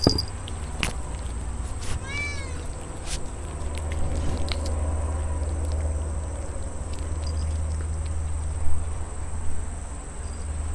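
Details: Cat being treated to Bataras fried chicken while eating; one brief clear meow early on, then low droning hum with occasional clicks and knocks of eating and handling.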